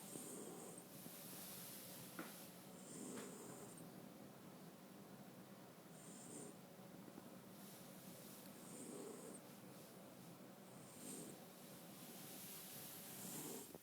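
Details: French Bulldog asleep and snoring softly, a steady train of short hissy, wheezing breaths roughly every two to three seconds over faint background hiss.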